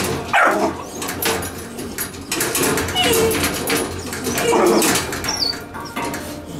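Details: Puppies in a kennel with the dog Gunnar: a few short, high, squeaky whimpers and yelps scattered across the clip over steady rustling and scuffling from the litter.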